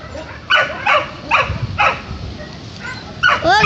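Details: Shelter dogs at the Kundelek animal shelter bark in four short, sharp bursts about half a second apart, then after a pause give a high, wavering whine near the end, with a woman talking softly over background music.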